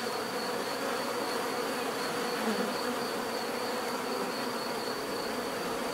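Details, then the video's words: Dense, unbroken hum of numerous bees, a low steady buzz without pauses, one slightly nearer bee around two and a half seconds, and a faint high pulsing whine behind. "bees therapy relaxing natural buzzing sound"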